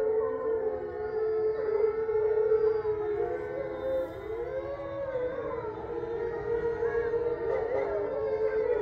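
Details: Eight resident captive wolves in Ipswich, Massachusetts, howl together at full moon on November 27, 2023, in long, overlapping tones that slide up and down.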